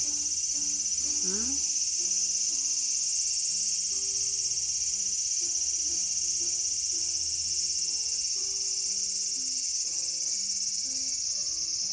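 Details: Cicada in a small garden on August 5, 2020, producing a constant intense high-pitched shrilling, with low melodic musical notes softly playing beneath throughout.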